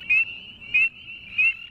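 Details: Male northern spring peeper calling among a chorus of others: three loud, clear rising peeps, each about a sixth of a second, spaced roughly 0.6 seconds apart over a steady high whistling chorus background.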